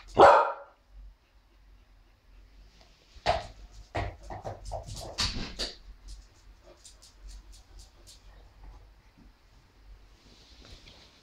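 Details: Zara, an English Bulldog mix, plays indoors with her new treat puzzle ball; one loud short bark opens, followed by scattered clicks and knocks of the rolling ball and faint background noise.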